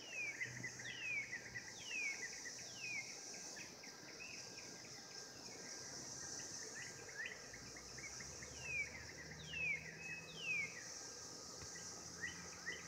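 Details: A 2016 mating chorus of cicadas keeps up a constant high sizzling drone; descending whistled notes recur about once a second in clusters, with soft low hum beneath.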